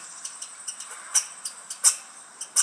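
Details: In Corner Brook, Newfoundland, a red squirrel that has been hiding its food gives sharp, dry clicking ticks in uneven bursts, a worried chatter directed at nearby people.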